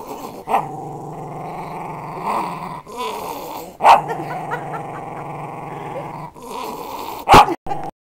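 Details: West Highland White Terrier guarding protectively, rumbling growl held across the clip with brief snapping bursts, the loudest near the end before it falls silent.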